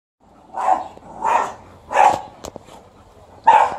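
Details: Alaskan Malamute meeting a couple of angry dogs: four loud, hoarse barks, the first three spaced under a second apart, then a short pause before a final sharp bark.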